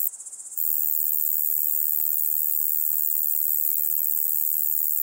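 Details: Steady, shrill buzzing song of a Large Conehead, recorded at Keutschacher See in Austria on 20 August 2021, a fast, evenly pulsed high hiss running without pause after a brief quieter, wavering start.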